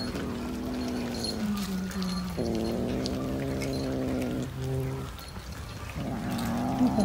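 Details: Domestic cat giving long, drawn-out low yowls, sustained wavering tones that rise and fall in pitch over several seconds, with brief pauses between wails and faint background noise.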